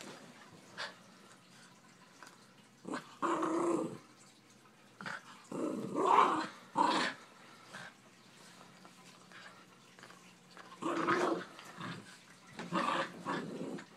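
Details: Miniature Schnauzer named Fritz, wild and playful on an unmade bed while chewing a deer antler: short bursts of rough growling at irregular intervals, separated by quiet gaps.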